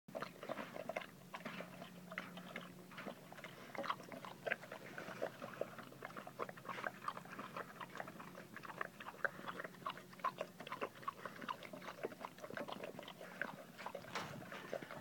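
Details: A German Shepherd eats its lunch noisily in a small room, with wet chewing, crunching and lapping clicks.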